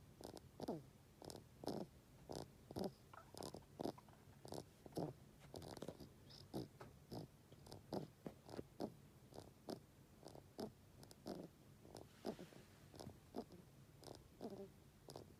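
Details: Kira, a bedridden rabbit about 13 years old whose overgrown teeth irritate a nasal tear duct, makes snore-like breathing to ask for food or stroking: rhythmic wet snuffling pulses roughly every half second, steady throughout.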